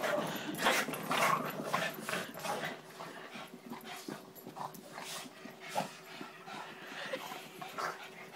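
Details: Three Boston Terriers attack a pig, giving quick, excited yips and short barks that tumble over one another almost twice a second.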